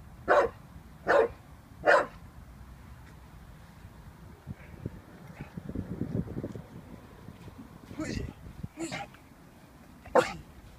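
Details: Vinnie, an 18-month-old Staffordshire Bull Terrier, unsure of a balloon indoors: three sharp, loud barks about a second apart open the passage, then a person talks, and two more barks come near the end.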